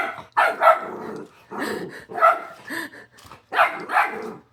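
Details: Pet dog barking indoors, short harsh barks in pairs, two quick pulses then a pause, roughly three bursts over a few seconds with slight growl underneath.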